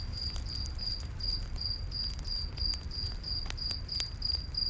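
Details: Short, clear, high-pitched cricket chirps in a night forest, pulsing steadily about three per second, mixed with a low campfire rumble and a few loud crackles.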